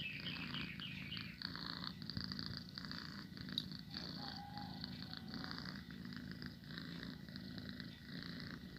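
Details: Pet domestic cat purring steadily, a continuous low rumbling throb with a soft airy hiss above it, held without a break for the whole stretch.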